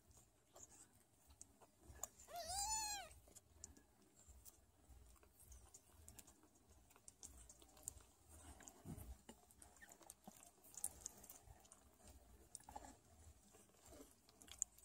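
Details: A Sphynx mother cat, nursing and caring for her meowing kittens, gives a single clear, high meow that rises and falls, then only soft rustling follows.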